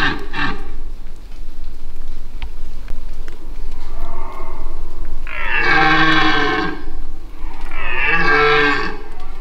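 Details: A dominant, very noisy red deer stag in the Massif de l'Aigoual, 2024, gives two long, deep, rasping rutting roars, unsure of a nearby person but unable to confirm by scent.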